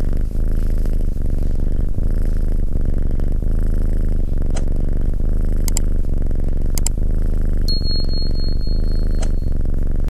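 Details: Close, low purring from a fluffy yellow cat, a constant throaty rumble throughout, with a few light high-pitched dings and clicks and a short thin tone near the end.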